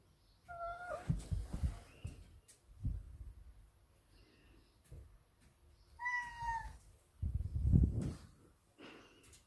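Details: Male Ragdoll cat meowing to demand daily cuddles, two short, clear meows about five seconds apart, the second falling in pitch, mixed with soft thumps, rustling and handling noises.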